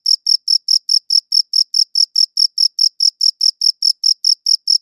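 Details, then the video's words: Cricket chirping in a fast, regular series of short, sharp, high notes, about four per second, against total quiet; recorded with a good audio recorder. "Cricket Chirping Sounds"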